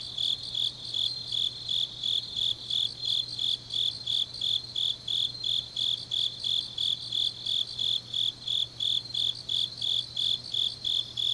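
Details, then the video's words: Night chorus of grass insects in autumn, Changnyeong, South Korea: rapid high pulsed chirps repeating steadily nearly three times a second atop a constant piercing trill, with a faint hum in the background. "깊은밤 가을 풀벌레 소리"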